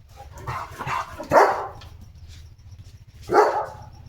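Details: Leo, a pet German Shepherd, barking indoors while a food parcel is unboxed: two loud, separate barks about two seconds apart over a low background hum.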